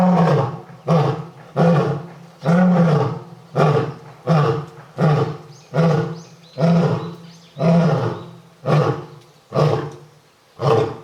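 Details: Lion kept at Tokushima Zoo in Japan roaring in a long, steady bout: about a dozen low, resonant grunts at roughly one-second intervals, each swelling and fading, deep and powerful yet faintly cat-like.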